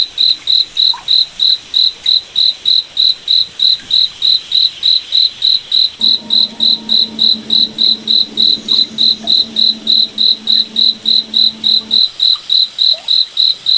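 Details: Rhythmic high-pitched chirping of a cricket in a forest at night, around 3.5 pulses per second throughout, with a soft layered low humming tone in the middle stretch.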